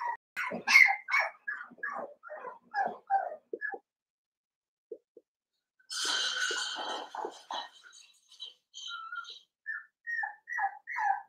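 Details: Seven-week-old blenheim Cavalier King Charles Spaniel puppies, a litter of five born at New Year's, in an indoor puppy pen; a run of short, high yips and whiny barks repeated unevenly, pausing midway, then a burst of scuffling before more yelps.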